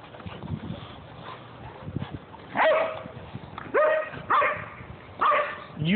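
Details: Pet dogs indoors, a Great Dane, a Jack Russell and a golden retriever mix, being given commands. A man speaks at first, then a dog gives several loud, sharp barks in the second half, spaced about a second apart.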